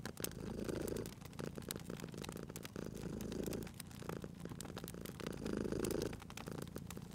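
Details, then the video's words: Cat purring while sleeping near a crackling fireplace in cozy spring ambience; rhythmic low purr in three clear swells across seven seconds, each lasting about a second, overlaid by constant crackling and popping flames. "Cute Purring Cat at a Crackling Fireplace 🔥 Relax & Sleep with the Sounds of Crackling Fire & Purr"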